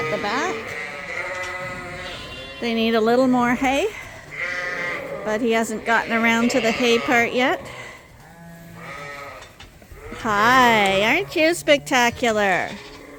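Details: Many Suffolk lambs mixed into one big group in a barn at Ewetopia Farms; overlapping tremulous bleats come in three busy clusters with quieter gaps between, the last burst loud and rapid.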